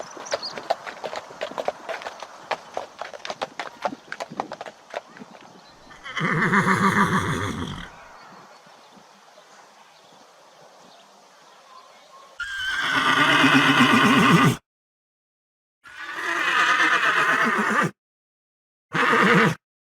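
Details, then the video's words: Horse neighing from a galloping herd: rapid hoofbeat clatter at first, then loud tremulous whinnies around seven and thirteen seconds, followed by further shorter neighs separated by abrupt silences. "O SOM DO CAVALO RELINCHANDO"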